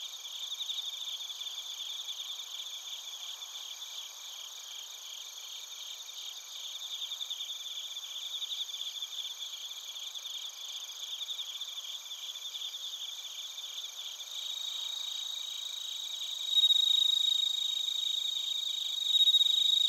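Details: Crickets and bell crickets sing in Narita, Chiba Prefecture, Japan, on a TASCAM Portacapture X8. Steady pulsing chirps repeat almost four times a second beneath piercing sustained tones, swelling in volume during the final seconds.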